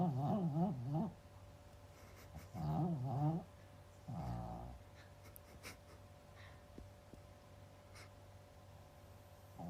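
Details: Big Pomeranian with a strongly quirky snoring habit; two wavering, rasping snores in the first few seconds, then a softer breathy one, followed by near-quiet with faint clicks.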